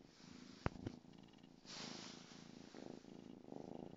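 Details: Two-month-old female Savannah kitten purring while playing with her toy mouse indoors; a soft, low, steadily pulsing rumble that fades and returns, with two sharp clicks near the start and a brief rustling burst midway.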